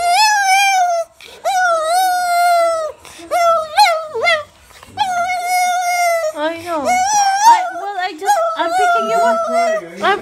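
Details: A Pekingese gives long, high, wavering whining cries, greeting its owner excitedly on being picked up after two nights in a kennel.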